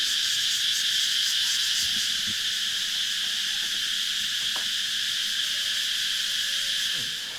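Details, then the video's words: Morning locust chorus on Koh Yao Yai, Thailand, a continuous shrill hissing buzz that holds level for several seconds with no pauses, fading slightly at the end, with faint low background tones. "Well, listening to the sound of locusts was not the ideal way I thought I'd wake up this morning, but the sun is shining, the birds are chirping, the roosters are"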